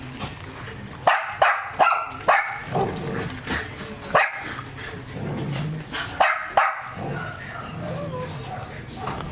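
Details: Working-line German Shepherd barking: two short clusters of loud, sharp barks separated by a quieter stretch with faint background sounds.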